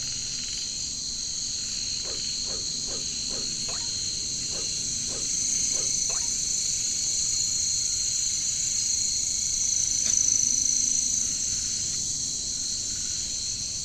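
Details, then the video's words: Katydids, known locally as caricangkas, calling in a jungle setting: a steady shrill, hissing drone of high tones runs throughout, overlaid early by a series of short, evenly spaced knocking notes and one brief sharp chirp. "bunyi caricangkas katydids bush crickets"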